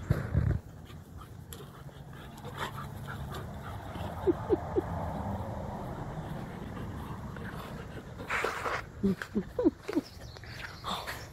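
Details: A Husky and a Malamute wrestling for fun in the morning; brief squeaky whimpers appear midway, then a louder cluster of short yelping whines near the end, over steady scuffling noise and a sharp thump at the start.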